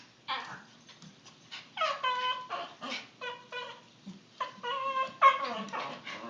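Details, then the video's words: A "talking" puppy makes a rapid string of about a dozen short, high, whining yelps. Each is a tonal, ringing note that bends up and down, mostly in irregular bursts, like chattering. "Talking Puppy"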